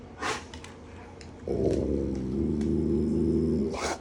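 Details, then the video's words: Morning food-begging from Alaskan Malamutes: a short burst, then a long steady moaning howl with rich harmonics held for about two seconds, ending in a brief sharp sound. "Good Morning Alaskan Malamutes #malamutelovers #howlingdogs"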